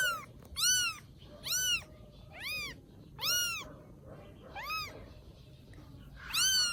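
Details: Rescued baby kittens in Vietnam, settling into life after rescue, give high, arching meows that rise and fall, about seven cries in quick succession with short quiet gaps, over a faint low indoor hum.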